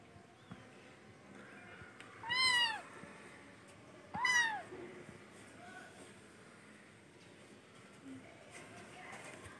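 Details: Two loud, high kitten meows about two seconds apart, each sharply rising then dropping, over a faint indoor background.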